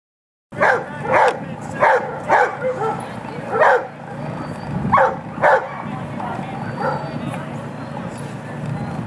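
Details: A female Rhodesian Ridgeback at lure coursing open finals, running her final heat: about eight sharp, loud barks in an irregular burst over five seconds, then quieter barking and human voices in the background.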